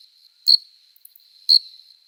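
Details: Adult male cricket singing on a summer night to attract a female, wings rubbed together: two sharp, high chirps about one second apart over a thin steady ringing tone.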